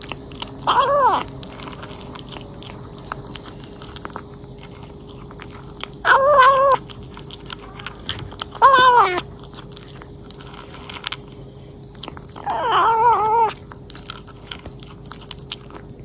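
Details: A kitten eats voraciously, pausing for four short meows, some wavering and slightly buzzy, separated by stretches of chewing and crunching noises indoors.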